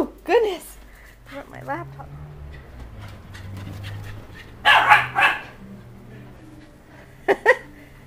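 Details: Puppies indoors just after a bath, giving sharp, high, bent yelping barks at the start, another pair near the end, with a person talking in between and a low indoor hum.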